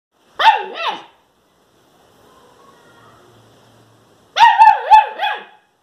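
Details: A German Shepherd puppy barking for the first time gives high, yelping barks in two short bursts separated by a quiet pause.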